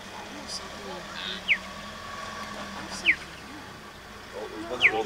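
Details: A cheetah in Kruger National Park, on a morning safari, calls another cheetah with short, high, bird-like chirps, each dropping in pitch, about every one and a half seconds.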